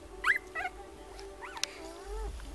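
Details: Young puppies whose eyes have just opened, newly starting to bark, give a few thin, high-pitched yips and squeaky barks, each sliding up and down.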